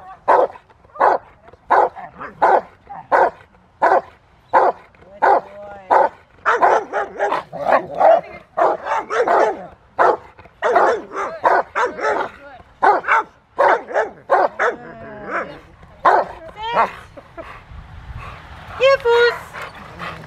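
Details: Willie v Schwarzerwald, a Rottweiler, having fun in the rain at Victoria Rottweiler Club on December 13, 2020, barks steadily about 85 times a minute, loud and slightly uneven, with a high squeaky sound near the end.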